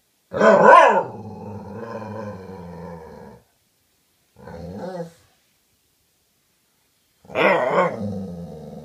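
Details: Dogs talking to each other: a sharp yelp that settles into a long, steady, buzzy growl-moan, a brief rough grumble, then another yelp trailing into a sustained growly tone.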